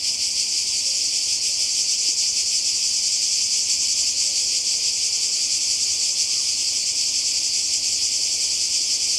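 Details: A seaside cicada chorus in Croatia, summer 2020: intense, unbroken high buzzing with a rapid shimmer, and only faint low rumble beneath it.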